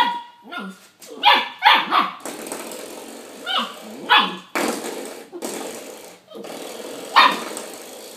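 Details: Young puppy barking at a doorstop while fighting and biting it; sharp high yips and barks in short bursts spaced about a second apart, with scuffling and thumping between them.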